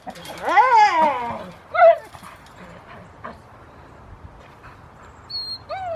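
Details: Foofy, a Rottweiler, on 2 August 2020 at Victoria Rottweiler Club, playfully starting protection training. The dog gives one long, arching, high-pitched whine. A short yelp follows, then quiet, then two brief rising cries near the end.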